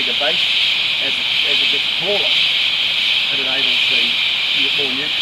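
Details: Tropical rainforest insects in Tamborine National Park, Australia, sending out a loud, continuous high-pitched shimmering drone, steady throughout, while people speak quietly in the background.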